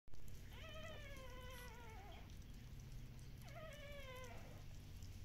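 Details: Active Shiba Inu puppies from a breeder in the Netherlands: two long, high, harmonic whining cries, each sliding downward in pitch and lasting under two seconds, set over a steady low indoor hum.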